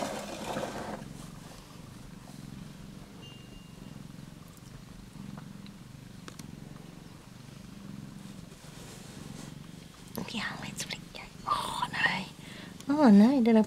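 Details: Australian Mist cat Dawn, a mother with her first-born kitten Ali, indoors; a soft, steady, low purr rumbles continuously for about ten seconds, then rustling and a woman's warbling voice break in near the end.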